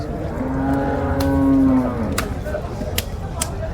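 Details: Young bull calf offered for sale in Kerala, India, lowing once: a low, drawn-out moo that swells and holds for about a second and a half before fading, followed by sharp knocks and clicks, with faint voices behind.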